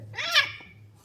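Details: Babdya, a pet cat indoors at home being urged to get up for bedtime, gives one short meow that rises then falls, tonal with clear overtones, overlapping a person's voice in a small room.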